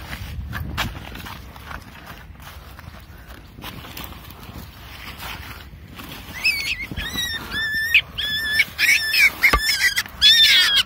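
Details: Baby wild rabbit screaming while being caught: a series of loud, high, shrill cries with wavering pitch, repeated rapidly in bursts over the last five seconds, after quieter rustling and handling noises.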